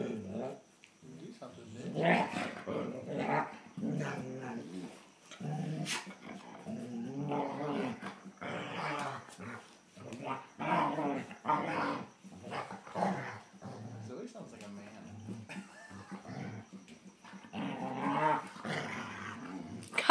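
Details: Rough-and-tumble between two German Shorthaired Pointers, younger Copper pestering older Zoie: continuous low rumbling growls in uneven bursts, with short snarls and a human voice now and then.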